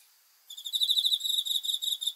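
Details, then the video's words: At night a cricket gives a rapid, evenly pulsed high trill, beginning abruptly after half a second of near silence and continuing without pause, nothing else audible. "귀뚜라미 소리 풀벌레 울음소리"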